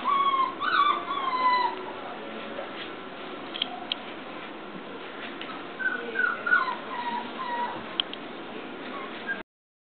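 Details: A 34-day-old English Cocker Spaniel puppy at play with a phone gives high, wavering whines that rise then fall, a burst at the start and another cluster midway, separated by quieter rustling.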